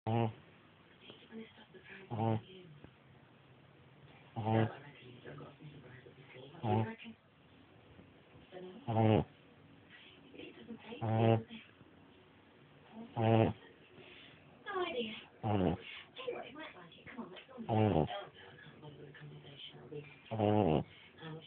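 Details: Jasper the dog snoring indoors: short, sharp snore bursts roughly every two seconds, each a brief rasping breath, with low murmuring voices filling the gaps between them.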